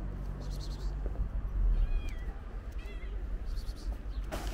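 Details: Pregnant stray calico cat waiting in front of a market, giving two short thin rising meows over loud low traffic-like rumble and outdoor street noise.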